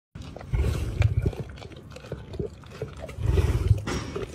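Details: Lions at a wildlife park in Ras Al Khaimah, UAE, during feeding: two bursts of deep, low rumbling grunts, one early and one near the end, with quieter scuffling noise between them.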